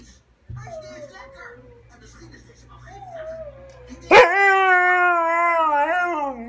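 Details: Siberian husky crying: soft wavering whimpers at first, then a loud sudden yelp turning into a long sustained tonal howl-like cry with rich harmonics that wavers and slowly falls; a low hum runs underneath.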